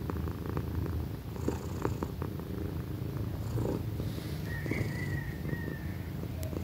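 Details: A young female pet cat, Pequeña, purring in a soft low pulsing rumble beneath clicks and rustles, with a faint thin whistling tone in the background.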